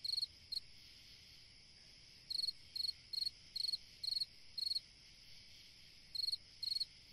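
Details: Summer-night cricket song, sharp high-pitched chirps spaced irregularly, some single and some in quick pairs, over a soft continuous high drone.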